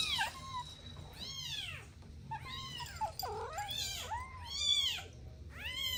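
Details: Domestic kittens at play beside their mother and two siblings give soft, high meows, each rising then falling, repeated about six times with short gaps, one lower and more nasal, against low room rumble.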